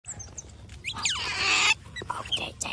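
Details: Wild otter giving quick high squeaky chirps that sweep down in pitch, with a burst of harsh crackling hiss and a man speaking in thanks nearby.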